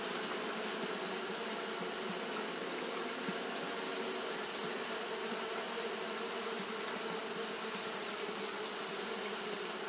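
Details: Hot-day fanning by Japanese honey bees: an even, continuous buzzing drone from many insects, a low hum layered under a bright steady hiss, with no pauses.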